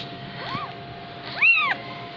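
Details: Persian kitten, 15 days old, from Gujranwala, giving two thin arching mews about a second apart, the second louder and higher, over a steady background hum.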